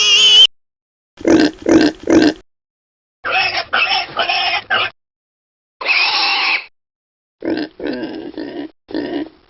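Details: Piglets suckling: bursts of rapid, rough grunting in groups of three or four, broken by silent gaps, with a short high squeal at the start and a longer, harsh, sustained squeal midway.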